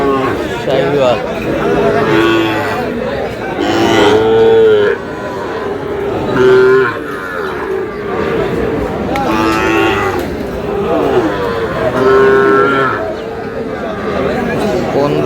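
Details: Sahiwal bulls and calves at a cattle sale at the start of the market day in Aftabganj market, Dinajpur, on 11 July; several short, level, low moos near 2, 4, 6.5, 9 and 12.5 seconds amid steady crowd chatter and bargaining voices.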